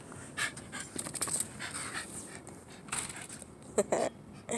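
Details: Chase, a male Shiba Inu going crazy with excitement during play, pants and makes short excited whimpering bursts in quick succession.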